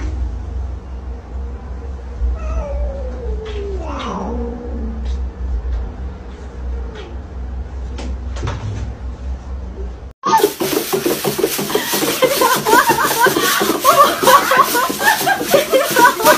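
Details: Cat gives a drawn-out, wavering meow that rises then slides downward, followed by a few soft clicks and knocks, before loud music abruptly takes over for the last six seconds.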